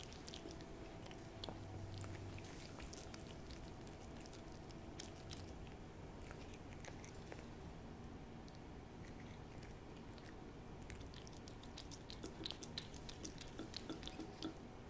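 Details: A cat named Hodu, a keen eater, licking up a Ciao Churu treat in close ASMR sound: sticky tapping clicks come in busy clusters, thin out midway, then thicken again near the end over quiet background hum.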